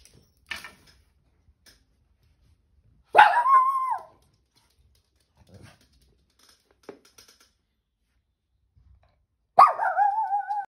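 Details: Lhasa Apso; howl; alerting after hearing strange noises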